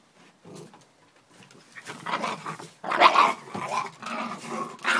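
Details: Four dogs brawling indoors in a fight started by a fox terrier, with a blue Staffy joining in; rough growls and snarling scuffles build in bursts, loudest from about three seconds on, with thrashing noise between.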